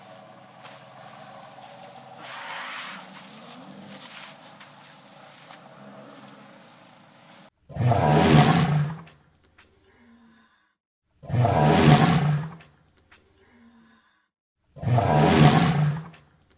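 An elephant gives three loud, harsh, roaring blasts, each about a second long, spaced a few seconds apart.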